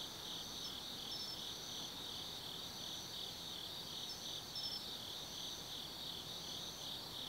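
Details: Insects of an autumn night at Tsukimi no Mori, Kaizu, Gifu, Japan: a constant high chirring chorus, with a brighter pulsed phrase returning roughly every three seconds above the steady trill.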